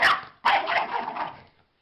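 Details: Dog giving a short sharp bark followed by a longer, harsh, drawn-out bark, then a brief pause and a faint final sound.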